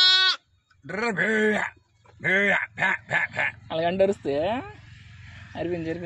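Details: Newborn lambs, one day old, on a village farm, bleating in short harmonic cries that rise then fall, several overlapping calls in quick succession with brief pauses between bursts.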